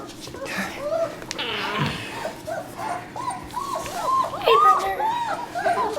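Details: Litter of German Shepherd puppies, born 27 December 2013, in a room: a string of short, high, arching whimpers and squeaks overlapping one another, mixed with a person talking to them.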